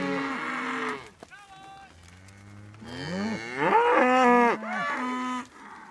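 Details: Herd of Highland cattle with Whitebred Shorthorn calves moved to new pasture; a drawn-out moo, a low rumbling call, then a loud rising bellow from several animals overlapping.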